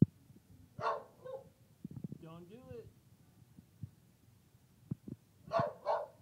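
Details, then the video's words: Trilby, a female dog at work, barking with her whole body: two loud, harsh barks about five seconds apart, with a short whining, tonal sound and faint knocks in between in a quiet indoor room. "Trilby Barks (At Work)"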